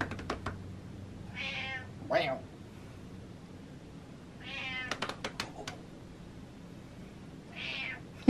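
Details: Pet cat Butters trades meows with her dad indoors. Four clear, drawn-out harmonic meows come at irregular intervals between quiet stretches, with sharp knocking clicks and faint room noise in between.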